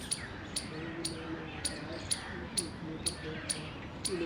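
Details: Indian squirrel in the wild during mating, 19 February 2021: sharp, clicking chirps repeat about twice a second in an even rhythm, with faint human conversation murmuring low in the background.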